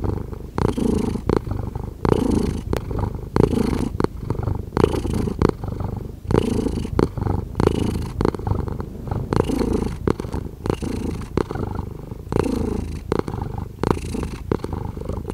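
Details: Long stretch of a contented cat purring, a low buzzing rumble pulsing with inhale and exhale, each cycle marked by a short brighter rasp.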